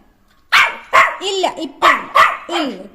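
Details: Jack Russell Terrier puppy at play barks repeatedly in quick, uneven yaps, with a woman's voice talking between the barks.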